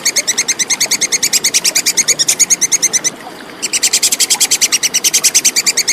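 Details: Plantain squirrel, known locally as tupai kekes, in a clear recording meant as tutor material for competition songbirds: a fast, steady chatter of sharp, high ticking notes, roughly six per second, broken by a half-second pause midway.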